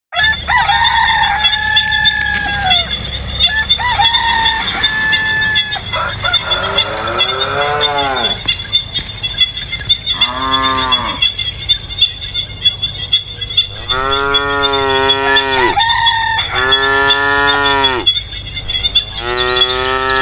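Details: Cows lowing in the distance on a peaceful day in authentic rural countryside. Early crowing and clucking fowl, then four drawn-out harmonic lows, each about a second long and bending downward, over constant insect buzz.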